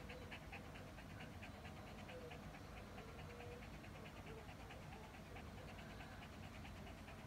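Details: A Shih Tzu, hot after a walk, lying under the air conditioner's breeze: fast, steady panting at about four breaths a second, soft and even throughout, over a constant low hum.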